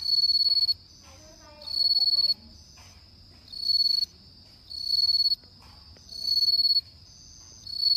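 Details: Bell crickets singing on an autumn night: bright, ringing high-pitched trills in bursts of under a second, repeating roughly every one and a half seconds, with quiet gaps between.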